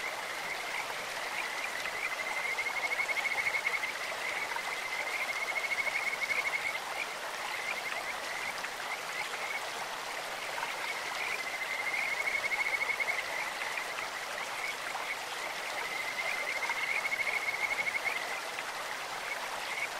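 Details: In a clear mountain stream, Kajika frogs keep up a high, sweet trilling chorus with brighter phrases near three, six, twelve and seventeen seconds, while the brook rushes loudly underneath.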